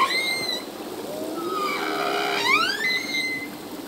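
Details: Male humpback whale song underwater: high steady whistled tones, a gliding moan dipping and rising, then a sharp upward sweep into a clear sustained whistle.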